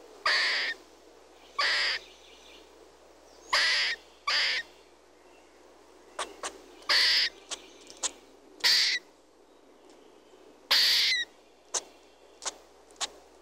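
A squirrel gives harsh, raspy bursts at irregular intervals, mixed with brief sharp chips.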